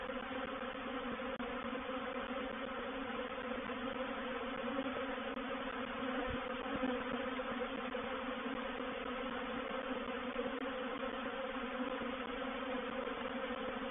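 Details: Reproductive swarm of honey bees moving into a bait hive, or swarm trap, on 04/07/21: a dense, unbroken droning hum of many wingbeats holds steady at an even pitch throughout, with no other clear sounds.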